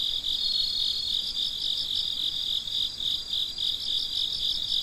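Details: Midnight chorus of crickets, shrill high trills beating in rapid pulses near four per second, layered voices blending into an unbroken shimmering sound with a quiet background.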